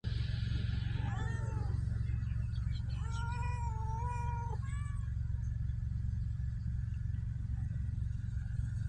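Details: Stray cats in Ras Al Khaimah, United Arab Emirates, giving a short rising meow followed by a long drawn-out level cry and a brief final meow, over a constant low engine-like hum.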